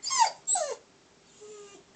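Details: A dog reacting to a squirrel gives two quick high yelping whines, each sliding downward in pitch, followed by near-silence with a faint steady hum.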